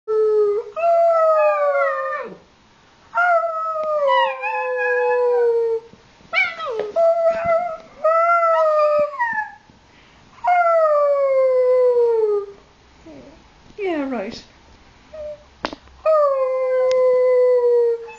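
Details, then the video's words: An 8-week-old Alaskan Malamute puppy howls in a series of drawn-out, wavering, falling notes. "Diesel alaskan malamute at 8weeks old howling"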